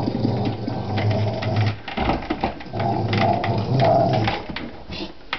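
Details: Indoor Rottweiler reacting to a disliked office chair: a deep, continuous grumbling growl that swells and fades twice, with a human voice and room noise mixed in.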